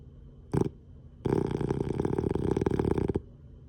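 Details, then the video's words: Sleeping Boston Terrier blowing snoring bubbles: a brief low snort, a short pause, then a long rattling, rapidly pulsed snore of about two seconds, deep and buzzy, ending abruptly in quiet room tone. "Snoring Bubbles!"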